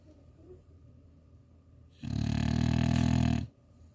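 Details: Sleeping French Bulldog in Chuncheon gives a single deep, vibrating, growl-like snore of about one and a half seconds after quiet breathing.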